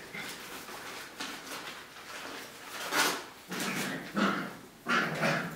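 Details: Five-and-a-half-week-old puppies: after quiet rustling, a series of short, rough yelps and little barks arrives in quick, uneven bursts about a second apart.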